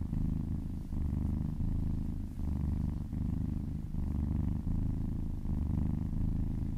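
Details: Kitten purring while massaged, a deep continuous rumble pulsing in breath-length cycles about forty times a minute, with nothing else heard.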